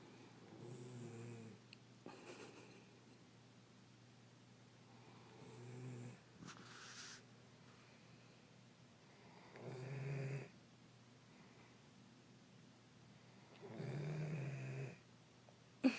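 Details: A sleeping pet Dobermann snoring: rough, breathy low snores come in bursts about every four seconds, each lasting roughly a second, with quiet stretches between them and a faint rustle.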